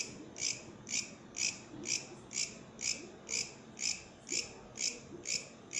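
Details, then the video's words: Bush cricket (katydid) song made of crisp, rasping high pulses repeated regularly roughly twice per second, each a brief buzzy burst, with faint low rumble beneath and no other animals. "Katydid, bush criket singing"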